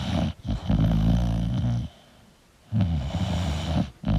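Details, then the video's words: English bulldog sleeping, giving a long throaty rumbling snore of nearly two seconds, a short silent pause, then another rough, grumbling breath and a brief snort at the end. "English Bulldog Sleeping & Snoring Sound"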